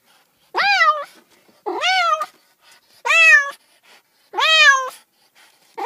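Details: Cat meowing repeatedly, each meow a clear rising-then-falling wail about half a second long, repeated roughly every second and a half, in a quiet room.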